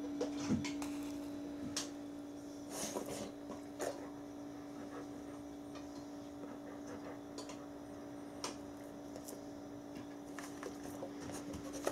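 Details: A quiet indoor room with a steady electrical tone, scattered soft clicks and taps, and no clear animal voice.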